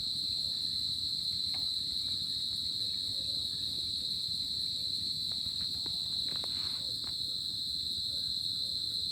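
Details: Steady shrill trilling of crickets on a tropical summer night, one sustained high note with a pulsing upper layer, a few soft clicks and light rustles mixed in.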